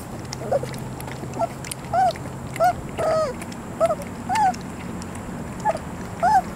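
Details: Three-week-old puppies whimpering in a steady series of short arched squeals, roughly one every half second to second, each rising then falling, over a low background hum.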